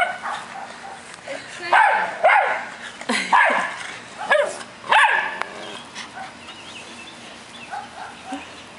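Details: Playing dogs, an American Eskimo, Schnauzer and Boston Terrier, give loud, rough barks about once a second for several seconds, then trail off into softer yips; a person's voice is heard close by.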